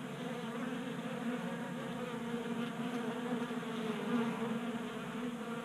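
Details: Many honey bees feasting at a 3D printed bee feeder inside a Colorado garage on a mild January day, producing a continuous droning hum with stacked harmonic tones that stays even throughout.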